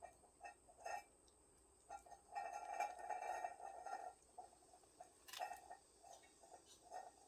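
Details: From a cat family in a woodpile on 20 August 2022, short mews repeat roughly twice a second, with a longer, sustained wavering cry in the middle, then scattered brief calls.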